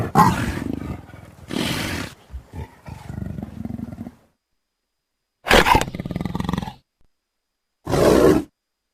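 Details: A leopard's call: short, explosive, coarse roars, a pair close together followed by rumbling grunts, then two more isolated harsh bursts after a pause.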